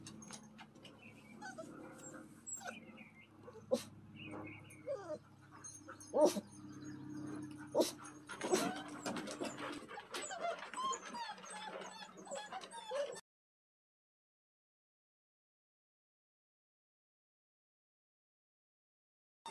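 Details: Wet Standard Poodle puppies, male, just after a bath on their first day outdoors and in a play pen, whimpering and yelping in high, wavering cries with short sharp yips, followed by several seconds of silence.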